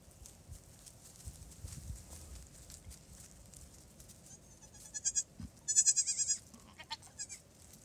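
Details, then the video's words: Newborn triplet goat kids, two days old, with their mother nearby, taking first hops; a burst of high, quavering bleats near the end, repeated rapidly in short pulses, after quieter rustling and background noise. "Newborn Triplet Goats in PJs"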